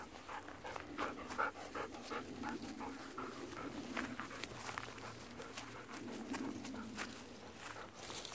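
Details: Golden Retriever on an evening walk, asking for persimmons that are not yet ripe: steady rapid panting, about two and a half breaths a second, with soft breathy pulses and light outdoor background.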